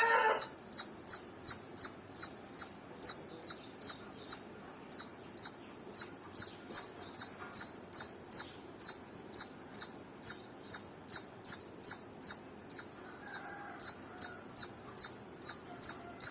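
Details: A squirrel chirps steadily, giving a long run of about forty short, piercing, high-pitched chip notes at a quick, slightly uneven pace of two to three per second, with a faint low hum underneath.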